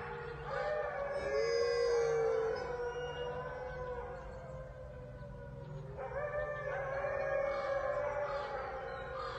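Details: Gray wolves at a sanctuary howl in chorus, long smooth tones layering and overlapping, swelling in twice; a ten-year-old female joins from her platform, with a five-year-old male enclosure mate present.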